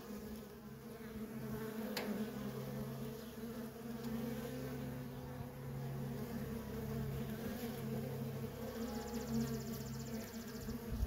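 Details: Honey bee workers in constant traffic at a feral colony produce a dense, unbroken hum, low and steady, with a faint click early on.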